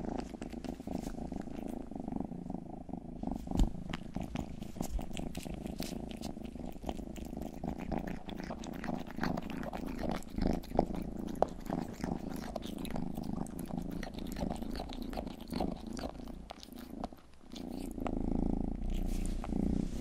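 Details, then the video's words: Pet cat Rang-i, the household's youngest, purring while grooming close to the microphone; continuous low throbbing rumble with rapid pulses, overlaid by crackly licking and rustling clicks, slightly louder toward the end. "ASMR 하는 고양이!(Purring & ear licking sound)"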